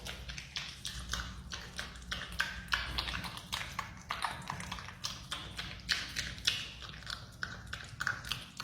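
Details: Banana being eaten by a marmot: a fast, steady series of crunchy, smacking chews, roughly three to four per second, clear above a faint low hum.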